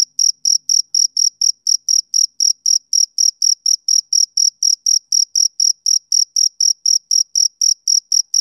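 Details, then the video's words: Summer-evening chirping of a male cricket, a rapid even train of shrill, brief pulses repeating roughly four times a second, uninterrupted and alone against a silent background. "Cricket Chirping Sound Effect"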